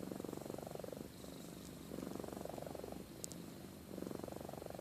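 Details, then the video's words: Amy, a pet cat, purring in her sleep with gentle snoring, a low rattling purr swelling into breathy snores, with a brief sharp tick midway. "Compilation of Amy Purring & Snoring"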